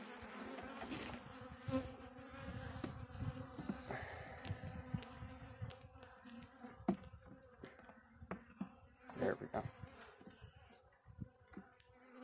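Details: Russian honey bees buzzing as their hive on a black stand is opened for the first time; a steady low hum with harmonic bands, overlaid by clicks and knocks of handling and brief human speech.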